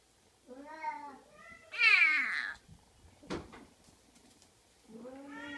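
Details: Oriental kitten meowing repeatedly: two short cries, then a loud, harsh, drawn-out wail, a sharp thump, and a final rising meow at the end.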